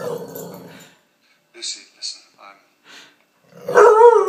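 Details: Layla, a former Palestinian street dog now living in Canada, gets excited while playing with a lamp shade. A human voice talks first, a few soft noises follow, then a loud wavering, tonal howl-like cry closes the clip.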